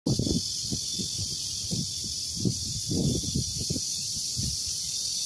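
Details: Cicadas buzz in a steady, high-pitched drone that holds without pause, with rustling close by, recorded on a farm garden with bamboo as longans near ripening.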